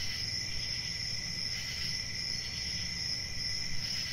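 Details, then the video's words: Dense ringing drone of crickets, high and steady, with faint pulses of added chirps and a low rumbling background. "1 Hour of Cricket Sounds"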